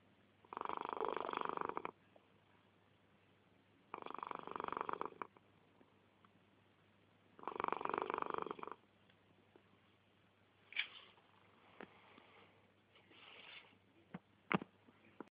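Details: Sleeping 11-year-old male cat snoring: three breathy, rough inhalation snores about every three and a half seconds, each lasting over a second, followed by softer snuffles and a few sharp clicks.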